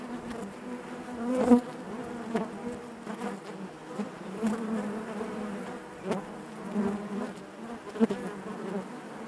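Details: Inside a honey bee hive, a continuous low hum of many bees, layered and wavering, punctuated by short sharp clicks or knocks around the middle and close loud buzzes of single bees near one and a half and eight seconds.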